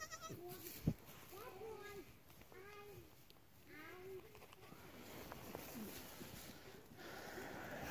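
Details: Newborn twin goat kids on a homestead, recently born to a doe: a series of short, high, wavering bleats repeated over the first half, mixed with a man talking and handling sounds.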